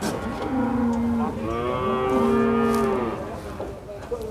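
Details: At the Prambanan cattle market, long drawn-out moos from cattle dominate: one low call, then a louder, fuller bellow held for about two seconds, with faint crowd murmur behind.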